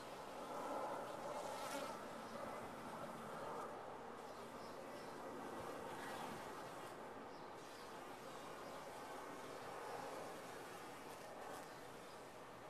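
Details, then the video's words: Honey bees in a top-bar hive give a steady, dense hum of many wings, a broad even drone with slight swells in loudness around two and six seconds. "Bees in a topbar hive"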